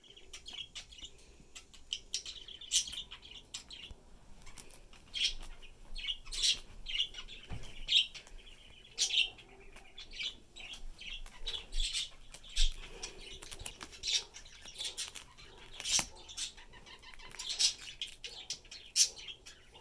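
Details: Peanut, a 3-year-old pet squirrel raised from three weeks old after being found on the street, gets into his favourite chickpea pods; high squeaky chirps and chatter burst out in quick irregular clusters across a light background rustle.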